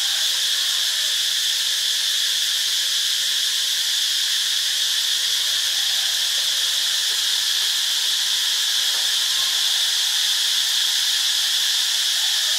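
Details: Cicada chorus recorded in Ubon Ratchathani, Thailand: a dense, unbroken high-pitched buzzing drone, loudest in a bright shrill band, holding steady for the whole stretch with no pauses or rhythm changes.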